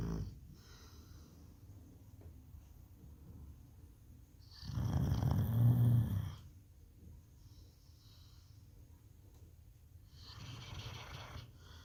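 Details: A sleeping Labrador Retriever snores: deep, rough, rumbling snores swell and fade, the loudest lasting over a second, a softer one following about five seconds later, with quiet breathing in between.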